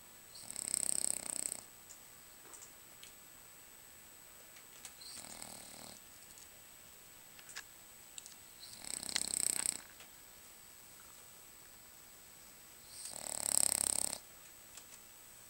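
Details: Asleep, Lucas the French Bulldog gives four rough, hissing snores at intervals of about four seconds, the first, third and fourth loud and the second weaker, separated by near silence.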